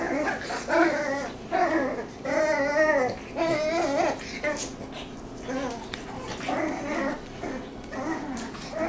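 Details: Lucy's Cavalier King Charles Spaniel puppies, six weeks old, utter wavering, warbling whines in clustered bursts with brief pauses between them, a human voice talking softly among the calls in a small room.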